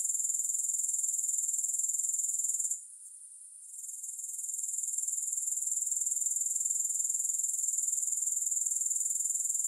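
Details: Grasshoppers trilling in a high, rapid, regular pulse; the sound cuts out for about a second early on, then swells back to full strength and continues steadily.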